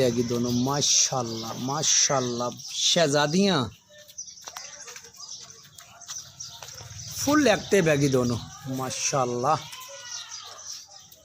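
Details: Nagri Beetal goats on a farm in Pakistan, offered for sale, give several quavering, harmonic-rich bleats in the first four seconds, some falling in pitch, then a quieter stretch and more bleats near the end, with background music.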